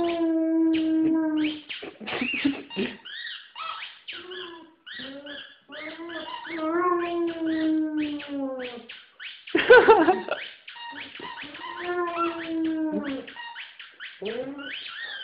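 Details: White female German Shepherd named Sally howling indoors while playing with her favorite squeaky ball toy from a Christmas stocking; drawn-out wavering howls rising and falling, mixed with squeaky toy chirps and bursts, background music.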